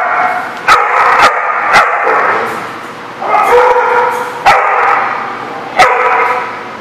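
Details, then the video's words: Several dogs barking steadily at a dog lot, loud overlapping harmonic barks with sharp onsets about once a second, some higher yips mixed in. "The Barking Lot"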